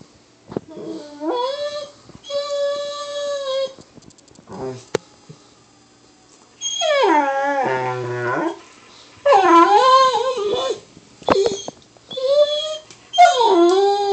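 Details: Excited pet Weimaraner howling at a labmaraner indoors after light provoking: long harmonic howls, some held steady and some wavering up and down, in several bursts with short pauses between them.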